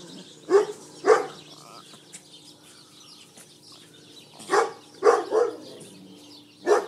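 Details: Flash, a Schipperke dog, guarding his precious steak bone in a back yard, gives short sharp barks: two quick ones, a pause of about three seconds, then a cluster of three and a final single bark.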